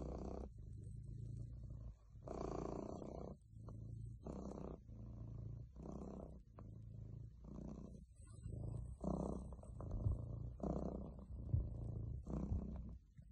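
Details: Relaxed male domestic cat purring: a deep continuous rumble that swells and fades in regular breathing cycles, roughly one push every second or so, with faint rustling in the background.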